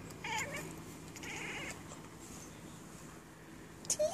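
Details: An indoor Siamese cat chatters in two short, buzzy, bleating bursts at birds across the yard, out of reach.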